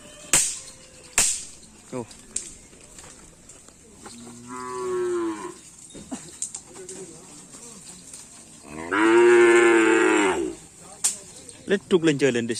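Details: Bulls at karapan sapi racing practice in Asemanis, Pamekasan: two separate moos, a softer one of about a second then a loud bellow near two seconds, between sharp knocks and clatter.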